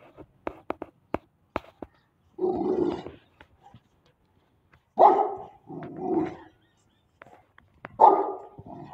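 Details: Pakistani Bully Kutta, a game dog breed: a few deep, rough barks and growling bursts, about four spaced through the clip, preceded by sharp clicking taps.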